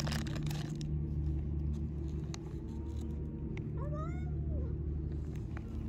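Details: Street cat met on a morning walk, meowing for attention, hungry and seeking affection: one clear rising-then-falling meow with bright harmonics near the four-second mark, over a steady low hum of traffic or engine noise.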